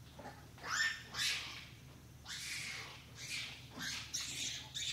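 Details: A long-tailed macaque near Semporna, Malaysian Borneo, gives shrill, harsh squeals in short bursts about every second.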